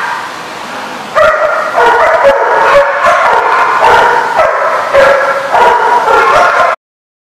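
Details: Dogs recorded on 7/3/15 in a dense, continuous chorus of shrill yips, whimpers and wavering whines. A quieter opening swells into a loud overlapping din that ends abruptly in silence near the close.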